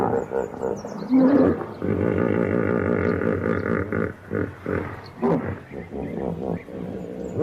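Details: A hippopotamus (Hippopotamus amphibius) gives a deep, rumbling, braying call that breaks into pulsed grunting honks.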